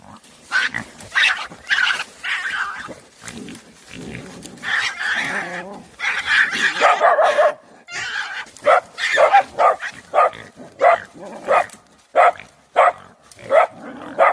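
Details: Dogs jointly attacking a badger on 24 January 2021, barking in rapid, irregular bursts, some overlapping and strained, roughly one or two barks per second across the whole stretch.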